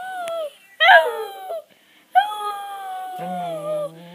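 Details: Maisy, a pet dog, 'talking' in a way that sounds like saying 'Ralph': two drawn-out, wavering vocal tones with a brief higher yelp between them, then a faint low hum at the end.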